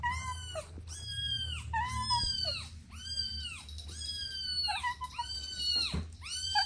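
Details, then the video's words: Domestic kittens at play with their mother and siblings give a steady series of high, arched meows about one per second, clear and harmonic-rich, overlapping slightly as several kittens call. "Sweet Kittens Playing Together | Soft Meows"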